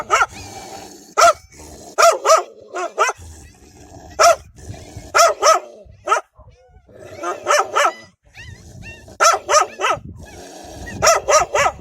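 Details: A group of wild dogs guarding their young, giving strong, frightening barks: harsh barks singly and in tight runs of three or four, broken by quiet gaps, over a steady low background hum.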